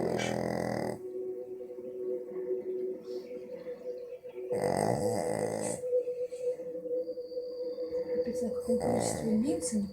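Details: A sleeping female pug, which rarely snores, snores in loud, rasping bursts roughly every four seconds, with television speech behind.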